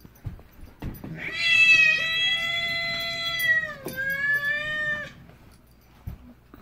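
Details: Domestic cat giving one long, drawn-out, wailing meow that holds steady, dips briefly, then carries on for about four seconds, with soft household noises and people talking before and after.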